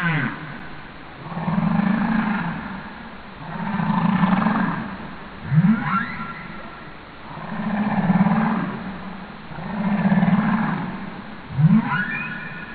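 Humpback whale giving long, low moaning calls, each followed by a quick rising whoop.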